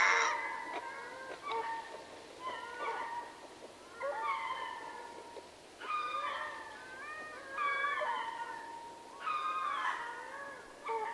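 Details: Ring-tailed lemur troop chorusing in Berenty, southern Madagascar: overlapping wailing, meow-like calls with bright rising and falling tones, several voices answering one another in bursts roughly every two seconds.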